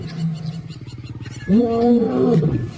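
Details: African lions roaring their displeasure as cubs scatter into the bush; a low pulsing rumble leads into a loud, sustained arched roar with rich harmonics that slowly falls away.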